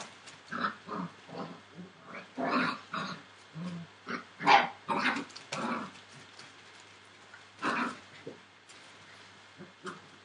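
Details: Entlebucher Mountain Dog puppies, 41 days old, from a litter born 28 December 2013, making a run of short grunting, whimpering bursts at irregular intervals across ten seconds, some louder and broader than others.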